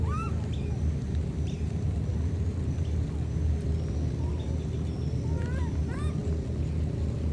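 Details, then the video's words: Two baby monkeys separated by a flood call to each other: a few short rising, harmonic whistled cries near the start and again around five to six seconds, over a constant heavy low rumble. "Calling each other, these two baby monkeys were separated because of the flood"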